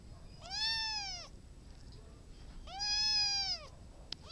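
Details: Cat meowing twice, each call about a second long and evenly arched, rising slightly and then falling, with a short pause between them and soft room noise behind.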